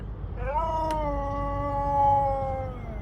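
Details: Siberian Husky howling indoors while a woman talks to it about warm weather. A long, steady, drawn-out tone rises briefly at the start, holds level with rich overtones, then sinks slowly and fades over about two seconds.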